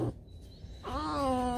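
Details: Alice, a pet fox, around breakfast time: a single drawn-out whine that rises at the start, then holds a steady, slightly falling tone with a rich ladder of harmonics.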